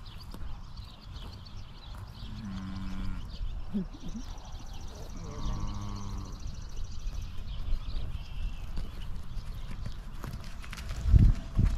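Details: Highland cattle in a herd, eagerly fed fresh grass after a spell on hay. Two low, harmonic moos, one brief and one longer and drawn out, rise over a steady outdoor rumble, with a louder thump near the end.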